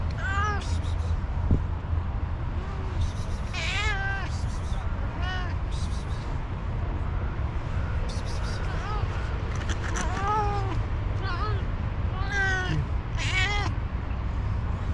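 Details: Hungry orange cat asking for food, giving a long series of harmonic meows, some rising then falling, spaced one to two seconds apart over steady low traffic-like rumble, with occasional clicks and soft human voice.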